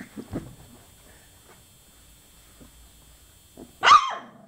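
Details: Young chocolate Labrador puppies, 24 days old. After a few faint early squeaks and near silence, a single loud, sharp yelp breaks out near the end.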